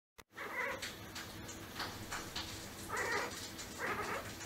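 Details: Domestic cat making strange sounds: broad, noisy bursts around 0.6, 1.8, 3 and 4 seconds, harsh and wavering rather than clear meows, over a steady low background hum indoors.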